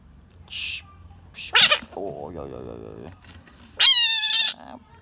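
A bullfrog gives a loud, shrill, harmonic scream lasting under a second, after a quieter wavering cry.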